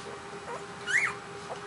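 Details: One-week-old puppies lying together in a pile, anxious while waiting for their mother to return, give one short high whine that rises and then falls, with faint squeaks before and after over a steady low hum.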